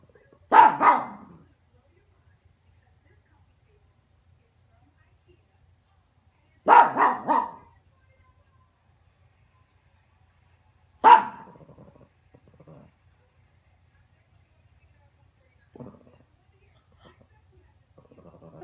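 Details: A 14-year-old Pekingese guarding the owner's bed gives sharp, clustered barks in three bursts several seconds apart, possibly at neighbours outside, with a person speaking briefly.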